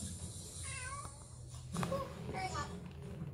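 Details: Domestic cat indoors in Blair, Wisconsin, May 2024, where one cat kneads in her new bed while an older cat picks a fight with another. Two short, rising-then-falling harmonic meows, with a television cooking show talking in the background.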